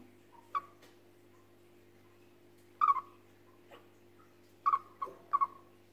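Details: A chipmunk gives short, sharp chirping notes in small clusters, spaced irregularly over a steady low hum; it may be frightened.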